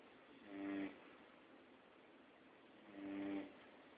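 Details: Labrador named Max asleep indoors, snoring in two broad raspy breaths about two and a half seconds apart, each with a low harmonic buzz, over a quiet room hiss.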